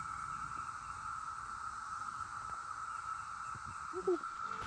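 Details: Cicadas along a bike route in the Southern Indiana Knobs during a rest stop in the countryside; a steady, unbroken high buzzing drone runs throughout, with low rumbling background noise and a brief voice near the end.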